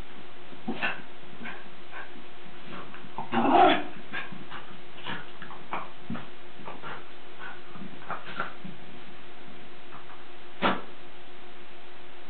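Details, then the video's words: Lakeland Terrier at play, giving short scattered whimpers and yips, with one louder yelping burst around the third second and a final sharp yip near the end, in a quiet small room. "Lakeland Terrier playing"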